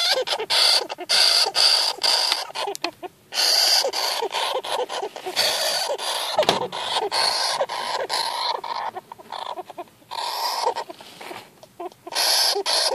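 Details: A newly acquired young golden hamster, frightened or irritated during its first encounter in February 2014, makes continuous rasping, screechy chatter in rapid bursts broken by short pauses.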